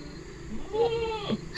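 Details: Goat being fed by a child; one short, wavering, harmonic bleat lasting about half a second, rising then falling, over a quiet background hum.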